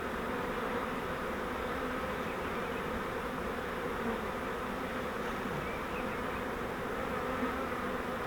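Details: Swarm of honeybees taken in a flowerpot swarm trap during transfer to a Langstroth hive, giving an unbroken, even, dense buzzing drone from the massed insects throughout.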